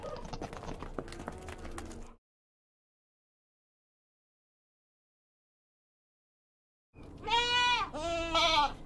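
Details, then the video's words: Goat bleating: a short, wavering, tremulous bleat with rich stacked harmonics near the end, after an opening stretch of rough mixed sound and a long silence. "funny animal sounds - bunny, chicken, goat, dog, horse, elephant"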